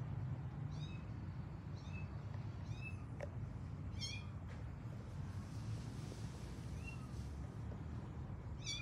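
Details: Kittens from a pet cat family call out while finding their mother, giving repeated thin, high arched meows in small clusters every second or so, set against a constant low rumble.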